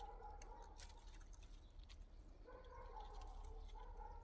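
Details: In a yard shared with rabbits, hens and a cockerel, the cat Liisi makes two level, nasal meows, each about a second or more, amid light clicking and low hum.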